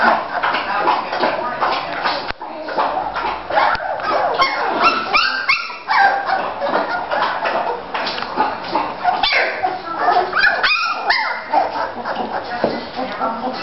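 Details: Litter of three-week-old Bulldog puppies playing and moving around in Florida: a dense, busy tangle of overlapping high yips, squeaky barks and whines, with scuffling and some human voices mixed in.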